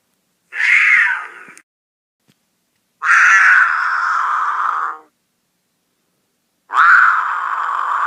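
A snow leopard gives loud, drawn-out, rasping yowls, each lasting one to two seconds.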